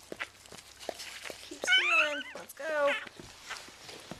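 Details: Freshly born vizsla–rottweiler pup from Bailey's litter gives two loud, wavering, harmonic-rich cries in quick succession while people talk softly and move around.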